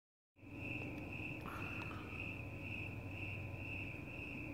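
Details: Crickets chirping outdoors at night, with cats enjoying the fresh air nearby; a steady, high, pulsing trill runs without pause, over a low constant hum and a brief faint sound near the start.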